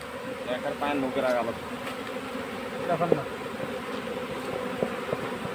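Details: Honey bees buzzing in a steady hum while the colony is caught into a hive box, with men's voices briefly talking over it.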